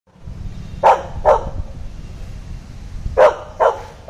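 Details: Labrador Retriever in police dog training, giving five short sharp barks in two bursts, the first pair near the start and three more toward the end, over a low rumbling background.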